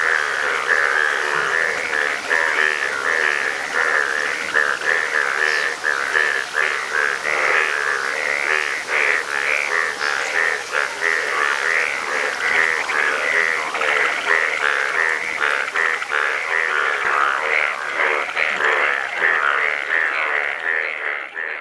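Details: A dense chorus of frogs in Nepal, possibly yellow frogs, gives many overlapping pulsed, croaking calls forming a steady throbbing wall of sound.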